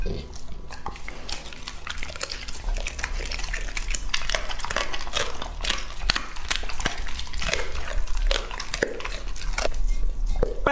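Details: Lucky, a two-and-a-half-year-old male English-type Labrador Retriever, chews through his meal. Rapid, uneven crunches and bites follow one another with no pause, and a brief human voice is heard.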